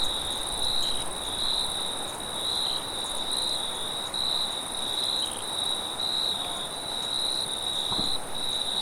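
Crickets keep up a steady, shrill high-pitched trill through the night, with soft wind beneath.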